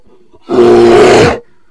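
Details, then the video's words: A bear gives one loud, harsh roar lasting just under a second. It is rough and noisy, with a steady low tonal core, and starts and stops abruptly out of near silence. "Bear Sounds"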